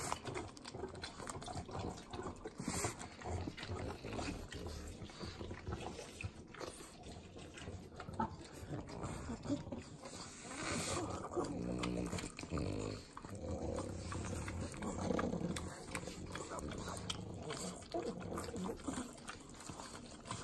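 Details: Pugs, three of them, licking butter at home in Southern California: steady sloppy lapping and wet smacking over low nasal snorts, an unbroken stream of messy eating noise.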